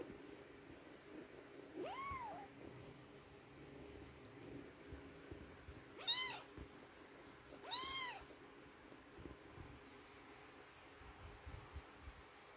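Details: Indoor kitten meowing repeatedly, three rising-falling meows at about two, six and eight seconds, the later two louder and higher with bright harmonics, over a quiet room hum.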